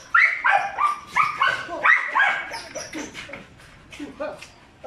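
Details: Two young Belgian Malinois at five months old, one brown, one black, bark rapidly at roughly three per second, loud at first and tailing off, with human speech mixed in.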